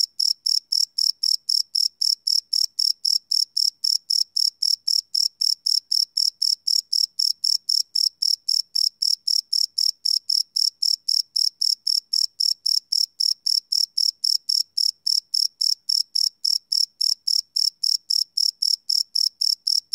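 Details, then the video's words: Crickets calling at night in a live field recording: shrill, metallic chirps pulsing rapidly and regularly, around four each second, holding the same pitch and volume throughout against silence. "Cricket Chirp Sound - Cricket Sounds at Night"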